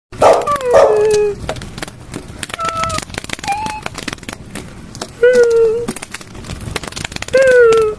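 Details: Puppies with their mother give a series of whines and yelps: short harmonic cries, some falling in pitch and some briefly held, spaced about a second apart, with soft rustling between them.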